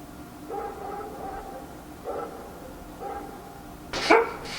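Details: Faint dog barks at night in Korea, spaced about a second apart, ending in one louder, sharper high bark near the end.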